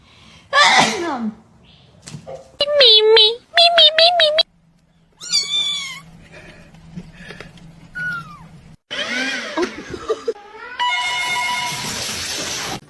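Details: Domestic cat meowing indoors: a run of short, high meows with rising-then-falling tones, followed by drawn-out wavering meows, between bursts of people talking, laughing and calling out.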